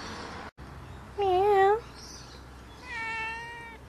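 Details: Pongo, a family pet cat, gives two meows: a first wavering, slightly rising call around a second long, then a quieter, steadier second meow after a pause, in a quiet indoor setting.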